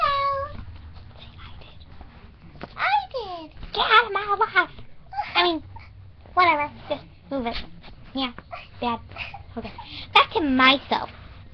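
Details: Pet cat walking about indoors and "talking", giving repeated arching, wavering meows in quick runs, mixed with a young person's chatter.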